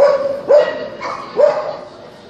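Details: Open-class Kerry Blue Terrier bitches at the Club Terrier 120-year show: three clear, ringing barks, each with a quick rising-then-falling tone, the last two about a second apart, over quiet hall murmur.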